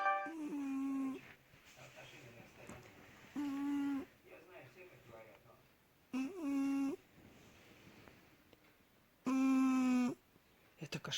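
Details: Chanelka, a house cat and mother of many kittens, snores indoors through the night, loudly like an elephant: tonal, nasal snores about a second long recur roughly every three seconds, with soft breathing noise between.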